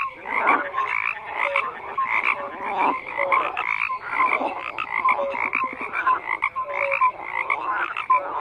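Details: Overlapping frogs produce a steady croaking chorus, raspy pulsed calls stacked with short whistled tones and a brief rapid rattle near the middle.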